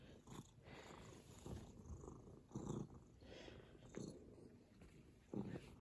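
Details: Contented house cat purring, a quiet low rumbling drone with gentle rhythmic surges roughly every second, occasional soft clicks and rustles in the background.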